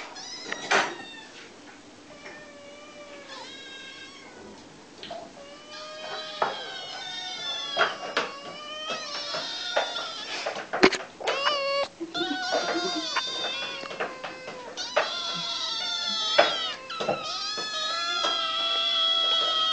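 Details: Kitten crying loudly because it is very hungry, pleading for food: dense, overlapping high meows that grow louder and more frantic, some wavering and drawn out, with an occasional bang like a cupboard.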